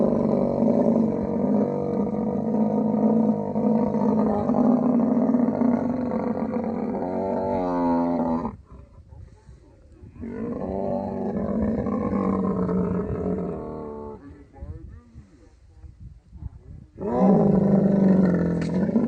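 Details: Camel at mating time, Thar Desert, Tharparkar, Sindh, Pakistan. Long gurgling, pulsing roars come in three bouts. Quieter stretches between them carry low murmuring and scuffling sounds.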